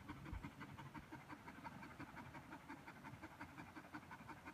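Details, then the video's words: Border Collie worn out after fetch, panting in rapid, fairly even breaths close to three per second, airy and soft, with faint background hum. "Border collie McNab tired after fetch"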